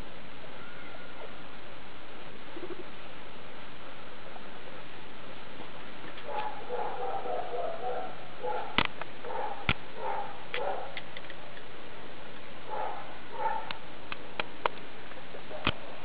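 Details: Skinny guinea pig Daisy and her young babies at CHS Luna, 19 August 2012: quiet opening, then clustered bursts of low, pulsing chuttering from the sixth second on, broken by occasional sharp clicks.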